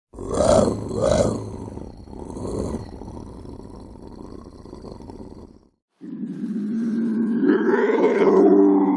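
A lynx gives two harsh, throaty yowls, then a long rasping growl that swells after a pause.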